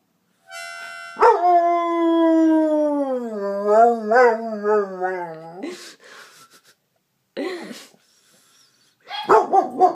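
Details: Pet dog named Hooch singing along to a harmonica: a brief reedy harmonica note, then a long wavering howl that slowly slides downward with a trembling, vibrato-like quality, followed by shorter broken howls and harmonica bursts near the end.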